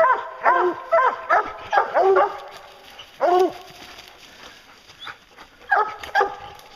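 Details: Bear-hunting hounds Lucy, Ricky and Canny baying at a treed bear: loud, ringing harmonic barks, several in quick succession, then a single bay and another pair after a pause.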